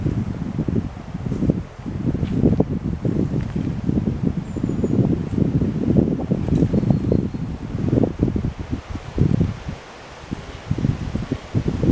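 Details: Low rustling and wind buffeting with no clear animal voice.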